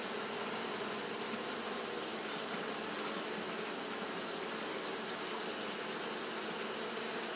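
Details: Steady buzzing of Japanese honey bees kept fanning through a hot day, an even, noisy hum with low bands and a strong hiss above.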